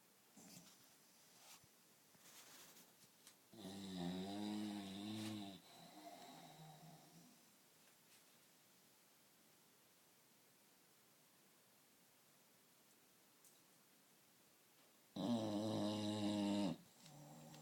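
An English Bulldog snores loudly, with long rasping breaths separated by quiet pauses.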